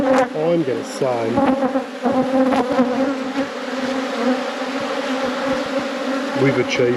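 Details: A honey bee colony buzzes in an apiary while a beekeeper inspects the hives. A dense, steady drone fills the middle, and short bursts of human speech come at the beginning and the end.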